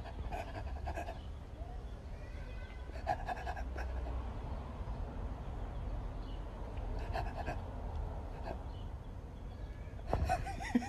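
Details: A Rottweiler, copying its owner, gives short bursts of breathy huffing and panting spaced a few seconds apart.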